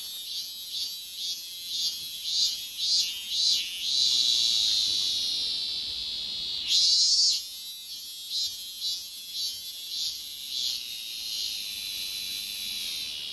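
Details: Cicada song opening with quick rhythmic buzzy pulses, then a sustained shrill drone broken by one sharp, louder burst, before settling into an even hiss.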